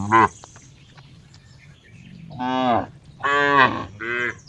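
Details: Cow lowing: a short opening moo, a pause, then three moos in quick succession, the middle one longest and loudest.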